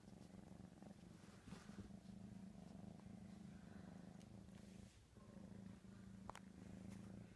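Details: Ricky, a domestic cat, excited over ham, purring in a steady low continuous rumble with a brief pause near the five-second mark before resuming, faint clicks and small noises over it.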